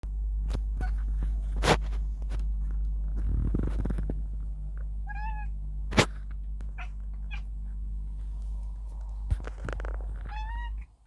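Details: Domestic cat making its cute noise on seeing a bird: short, high, chirping calls with rising harmonics near the middle and again near the end, with scattered sharp clicks and knocks over a steady low hum indoors.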